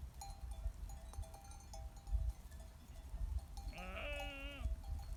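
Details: Sheep on a farm giving one brief wavering bleat near the end, after several seconds of low rumbling background noise.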